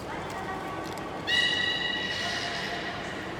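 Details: Captive beluga named Nana during a training session at Nagoya Port Aquarium, 18 May 2019; a sudden bright, steady whistle-like tone with stacked overtones begins partway through and fades gradually over a constant background hum.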